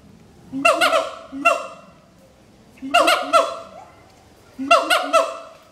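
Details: Duet song of a mated adult siamang pair at Schmutzer Primate Center, advertising territory: soft low booms each followed by loud, harsh barks with falling glides, in three bursts separated by near-silent pauses.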